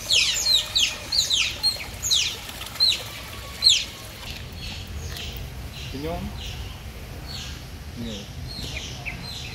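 Otters give high, thin chirps that sweep downward, quick and repeated, then fade into softer chatter.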